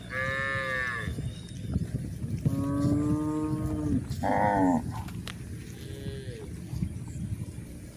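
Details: Cows on the move along a hill: several moos in eight seconds, some short and some wavering, with a rough low rumble and a faint outdoor hiss underneath.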